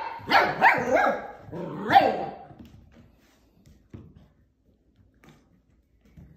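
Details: Portuguese Water Dog puppy playing with plastic bottles indoors gives a burst of high, yappy barks in quick succession, then quiet with faint bumps and rustles.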